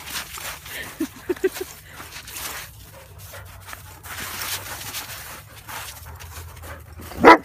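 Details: Great Pyrenees dog while playing; three or four short, high yips just after one second, then quiet rustling and handling noise, ending in a sudden loud, harmonic whining yelp.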